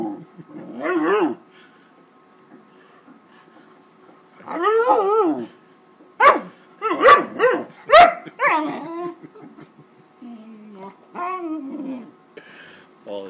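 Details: Wallace, a 13-week-old Great Dane puppy, very upset and attacking a paper bag: a run of loud, harmonic, yelping barks and whiny rising-falling cries in bursts, with short quiet gaps between.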